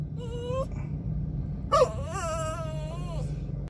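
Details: Kibo, a male poodle told to sit by himself instead of on the owner's lap during a drive, cries with a short rising whine then a longer wavering high whine over steady car engine rumble.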